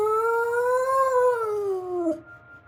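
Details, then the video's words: Shiba Inu dog howling along to its routine announcement song, late to start after missing the announcement; a steady, gently arching howl that rises slightly then falls away and ends. "ルーティンの歌が😅 今日 は出遅れたコロ🐕アナウンスを聞き逃したコロは歌い出しが分からず"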